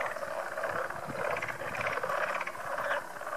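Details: Many small frogs at a pond in Goose Creek State Park give a dense chorus of overlapping, rapid trilling croaks, a steady mid-pitched rattle once mistaken for sandhill cranes or machinery; a voice is faintly heard.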